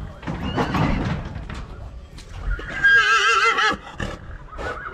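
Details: Breeding stallion of a heavy draught type near Oradea, Romania, lets out a strong trembling neigh lasting about a second, preceded by chatter and thuds from people nearby.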